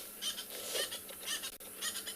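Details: A ground squirrel at Tswalu Kalahari Reserve, South Africa, during an 11 December sunset drive, gives short, high squeaks like a squeaky toy, about every half second.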